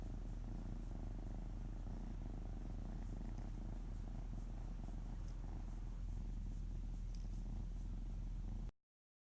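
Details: Indoors, the house cat Oto rumbles with a soft, rhythmic purr at about four pulses per second while having his tummy stroked and flapping his paws; the sound cuts off abruptly near the end.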